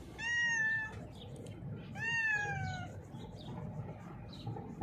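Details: A female cat blind in the left eye, hiding under a mixer truck when called, lets out two loud, bright meows a second apart, the second longer and slowly sliding downward; faint scuffling follows.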